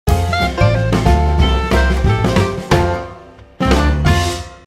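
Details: Band music with drum kit, bass and harmonic instruments plays throughout, with no animal sound.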